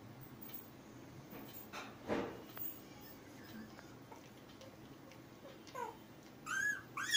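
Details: Ten-day-old Labrador Retriever puppies: after quiet rustling, a short rising squeak, then two high, arched whimpering squeals close together at the very end.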